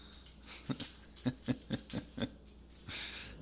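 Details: Zeusy, a pet pit bull indoors, 'talks' to his puppy brother to ask him to play: a run of six short, low, grumbling vocal pulses over about a second and a half, then quiet room noise.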